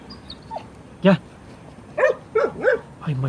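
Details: Kangal puppies, growing and soon to be rehomed, give short high yips and barks, four arched bursts spaced under a second apart in the second half, with a man calling them over in Turkish.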